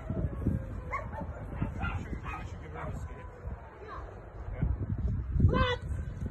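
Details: Carma, a female Rottweiler in protection training with a helper, gives short sharp barks in quick bursts, a few early and a strong one near the end, over people talking and handling noise.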